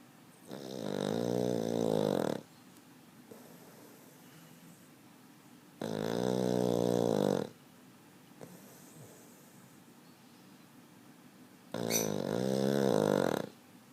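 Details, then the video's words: A Boston Terrier fast asleep, snoring up a storm: three heavy, buzzing snores, each lasting about two seconds, coming roughly every five to six seconds with soft breathing in between. "Snoring Boston Terrier"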